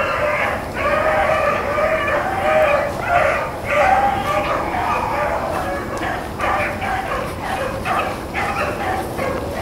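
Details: Blackcreek and Bluetick dogs running rabbits, April 4, 2013, baying as a group: sustained, melodic bawls overlap in dense waves, broken by brief gaps and sharper chopped notes.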